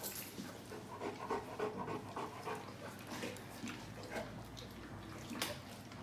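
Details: Presa Canario dog from an April 2020 compilation, panting in quick rhythmic breaths, about three per second, with soft rustling and light background noise.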